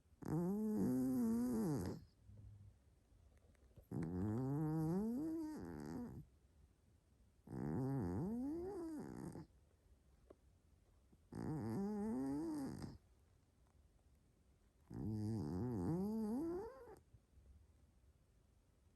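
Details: A sleeping Maine Coon named Hélios snores very strongly, like a locomotive, in a small room. Five loud, growly, buzzing breaths come at steady intervals of roughly three and a half seconds, each sliding upward in pitch.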